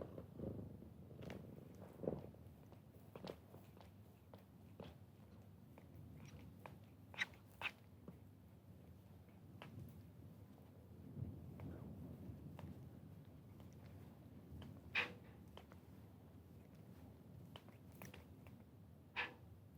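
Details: Kittens lie resting beside their mother, purring in a continuous low rumble. Scattered sharp clicks and small movement noises are heard throughout.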